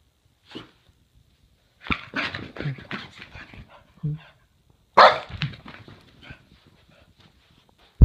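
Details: A male Boston Terrier doing zoomies gives short, rough barks in irregular bursts, inviting play.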